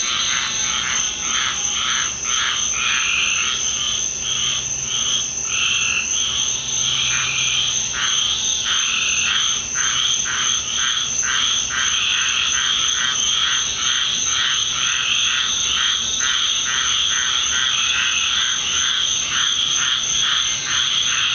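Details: Loud backyard frog chorus after a rainstorm, at night in the Deep South: a steady high ringing drone with rapid pulsed calls repeating all through, numerous frogs overlapping without pause.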